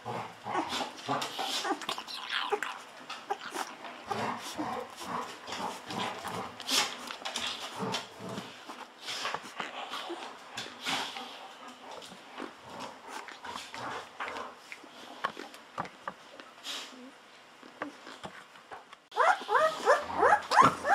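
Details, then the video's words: Bottle-fed Golden Retriever puppies on day 14, hungry and drinking wildly, keep up a long busy stream of thin squeaks and whimpers, overlapping, then a louder burst of squealing near the end. "Hungry Babies drinking wildly Milk"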